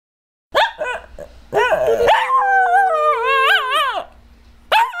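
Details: Puppy vocalising loudly: short yelping barks, then a long wavering whine-howl rising and dipping in pitch for about two seconds, ending with another sharp yelp; quiet room, no other sounds.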